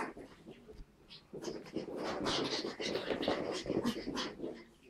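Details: Playing puppies, a Pug named Tilda and a Chihuahua named Roz; quiet at first, then dense raspy panting and low growly play noises that swell and continue to the end.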